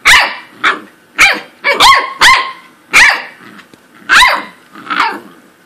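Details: Blix the corgi in a rapid run of about nine loud, sharp barks, some doubled, coming almost every half second and easing off slightly toward the end.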